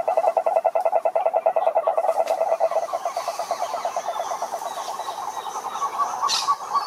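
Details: A rapid, rattling toad croak made of quick pulses. It is strong at first, then softer and less regular, with a brief hiss near the end.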